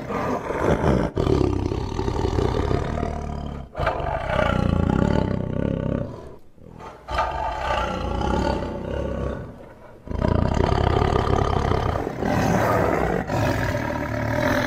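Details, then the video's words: Tiger roaring in long, deep, rough bursts that stretch several seconds each, separated by brief pauses, strong low rumbling tone with layered harmonics throughout. "Awesome Tiger Voice Sound"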